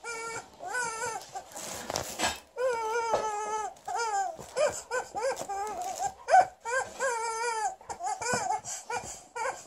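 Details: Female Alaskan Malamute named Liza, testing and angry at her new chicken toy, gives drawn-out, wavering whines and woo-like yodels, stepped and harmonic, interspersed with short yips and a noisy rustling burst.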